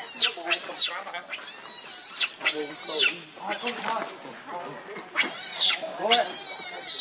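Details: Baby monkey Leo, also called Rainbow, hungry and begging its mother for milk: shrill, harmonic screams rise and fall in rapid bursts about every half second, with brief quieter gaps between cries.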